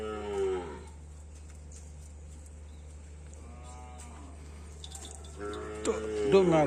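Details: A karapan sapi racing bull on Sapudi Island, among animals viewed in a search for superior breeding stock, gives a brief falling moo at the start. A quiet stretch follows, then loud voices near the end over a constant low hum.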